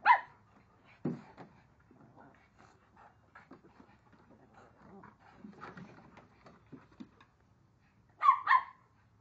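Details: Indoors, Onyx and Moka, two dogs of very different size, romp in a game of chase; one loud bark opens, light scrabbling and thuds follow, then a quick double bark near the end.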